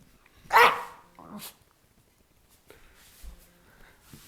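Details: Jack Russell Terrier guarding a bone and making strange noises: one loud, harsh, broadband yelp-like burst, then a shorter, softer sound and faint low grumbling.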